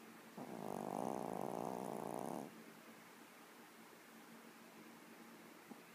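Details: A deeply sleeping Yorkie gives a single loud, rasping snore of about two seconds, followed by quiet room tone.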